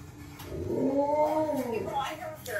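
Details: An Alaskan Malamute howls at its owner working at a computer, apparently wanting play, giving a drawn-out, wavering howl that rises then falls over about a second and a half, with a faint voice behind.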